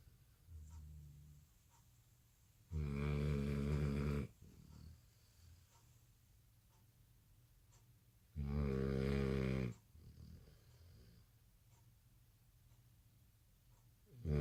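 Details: Sleeping American Bully puppy, tired out at night after no nap following dinner, snores loudly twice, each rattling snore about a second and a half long, spaced roughly six seconds apart with quiet breathing between.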